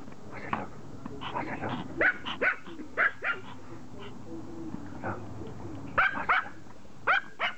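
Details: Pet Pomeranian begging for a game of fetch, giving a string of short, sharp yapping barks, roughly a dozen, some in quick pairs and others after pauses, over a quiet indoor background.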